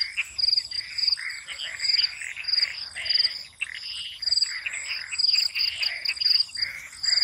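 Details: Night swamp frog chorus, with raspy croaking bursts repeating roughly every second, layered over a constant high, shimmering cricket trill.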